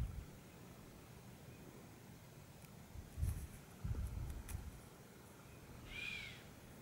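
A chamois gives a single sharp, high whistle that slides slightly downward, after a faint earlier one.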